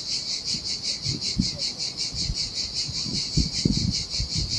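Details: Cicadas buzzing in the heat on an empty Sardinian beach, a high pulsing whirr, while low thumps and splashes of waves over the sand break through repeatedly.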